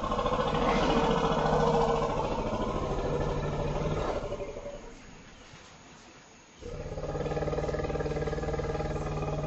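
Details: Two African forest elephant females greeting each other intensely in a forest clearing at Dzanga, Central African Republic, below an observation platform: loud low rumbles rich in stacked harmonics for four seconds, a quiet pause, then the rumbling resumes.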